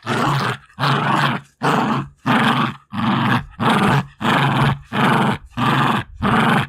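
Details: Female Jack Russell Terrier, two years old, growling while fighting for a favourite toy: a steady run of nine rough, rasping growls, each about half a second long, coming in a regular breathing rhythm.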